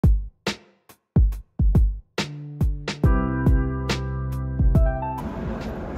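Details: Electronic beat with punchy drum hits and a sustained synth chord, ending in a noisy wash; no animal sound is heard.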